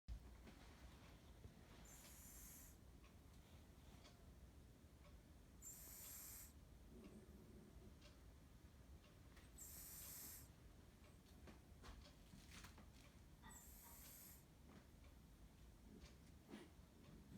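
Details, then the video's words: A sleeping cat snores softly: airy, breathy hisses repeat about every four seconds over a quiet room hum, with a faint low rasp now and then. "猫のいびき！！Snoring of the cat"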